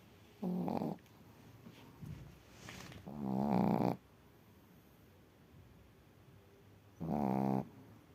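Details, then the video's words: A sleeping female Chihuahua at a kennel in Crimea snores loudly, with rough, buzzy breaths of under a second each, one longer drawn-out snore, and quiet pauses between them. "#храп #чихуахуа"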